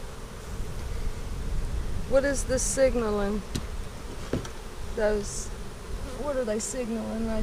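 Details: Honey bees at a hive being inspected on April 15, 2017, a colony split three ways on March 4. Wavering buzzes rise and fall as individual bees pass close, with a sharp click near four seconds and a background hum.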